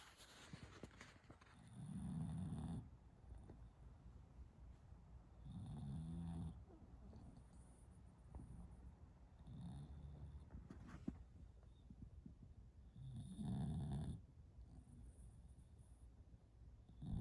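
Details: A sleeping female bulldog snores with low, rumbling snores. They come in swells about every four seconds, with quieter breathing between them and a faint high hiss throughout.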